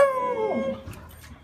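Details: Kiefer, the neighbour's dog alone all day, calls to come and play: a single high whine that holds steady and then slides downward, fading into quiet background.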